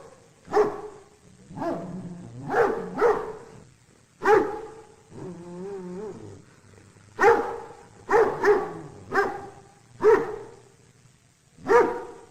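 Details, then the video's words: Repeated dog barks, some in quick doubles and triples, broken by a wavering low growl around the middle; barks are punchy and mid-pitched against a quiet background. "Köpek Havlama Sesi Çocuklar ve Aileler İçin Eğitici - Dog Barking Sound Effects For Kids and Parents"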